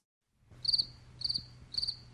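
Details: Cricket chirping: three clear, high, trilled chirps spaced about half a second apart, each a quick pulsed burst, over a faint low background hum.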